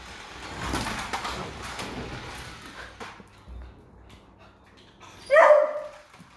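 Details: Young beagle puppy named Doodle, frightened on first meeting a remote control car indoors, gives one sharp, loud bark near the end after quiet rustling and handling noises.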